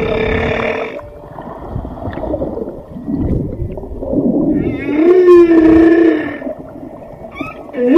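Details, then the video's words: Whale sounds over rumbling underwater noise: a harmonic moan early on, later a strong level tonal call held about a second, then a quick rising whoop at the end. "Tunog ng BALYENA | Sound of WHALE"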